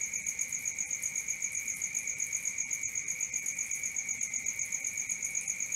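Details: Crickets chirping at night, a high, pulsing, bell-like trill repeating about four times a second, even and continuous throughout.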